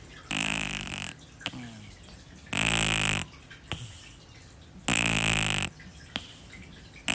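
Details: Kitten Shi-chan fast asleep, snoring loudly: three rough, wheezy snores with a hissing high edge, each under a second, recurring about every two and a half seconds with soft breathing in between.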